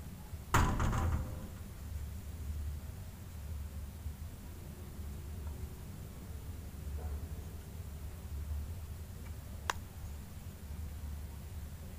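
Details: A door-like knock and rattle opens over a steady low hum in a quiet room, followed by faint scattered taps and a single sharp click, with no animal voice.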